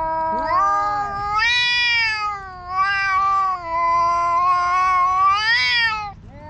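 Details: Two black stray cats in a park quarrel loudly: long, drawn-out harmonic yowls that waver and rise in pitch, swelling and easing over six seconds, with a brief break near the end.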